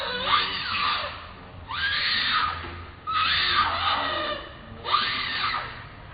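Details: Baby monkey Ramy stands up and screams very loudly: four harsh, shrill screaming bursts, each about a second long, sliding down in pitch and coming about every one and a half seconds, with quieter breathy sounds between.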